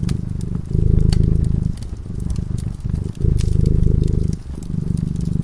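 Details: Cat sleeping peacefully by a fireside, its deep vibrating purr swelling and fading in rhythmic breaths about every second, accompanied by light crackling from the flames.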